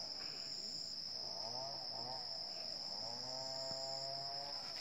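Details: Early-morning wild Asian elephant herd, Chanthaburi Province, Thailand, 10 December 2016, 7:18 am: overlapping deep, wavering harmonic calls rising and falling in pitch, two or more voices, with a constant high insect drone throughout.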